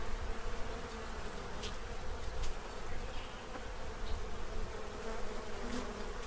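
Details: Steady low humming of many bees feeding at a tray before winter in Central Illinois, with scattered faint clicks and ticks over the drone.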